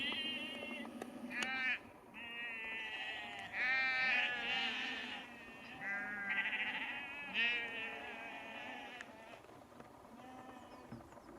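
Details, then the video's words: On 31 March 2021 near Cefn Coch in Powys, Wales, a farmer calls his sheep and moves them to another field; repeated quavering bleats from several animals rise and fade across the clip, some overlapping, with occasional clicks. "Farmers calls his sheep and moves them down lane to another field"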